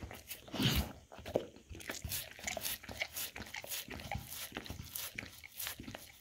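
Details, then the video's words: Indoors, a Golden Retriever works through a snack board of peanut butter, apples and blueberries, filmed with a Samsung Galaxy S10e; loud crisp crunches early on, then steady wet chewing and lip-smacking in short bursts. "Dog Eating Charcuterie Snack Board - Licking Peanut Butter Apples Blueberries"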